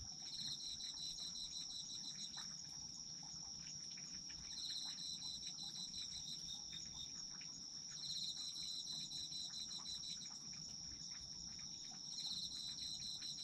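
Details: Chorus of autumn insects: one continuous high-pitched trill runs unbroken while a second caller adds rapid pulsed chirp bursts every four seconds or so, over faint background crackle.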